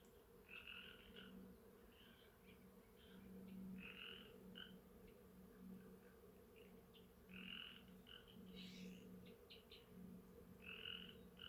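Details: Outdoor frog chorus at Sheckyville, recorded on camera: clusters of short harmonic notes repeated every second or two, some overlapping, above a constant low droning buzz of bees.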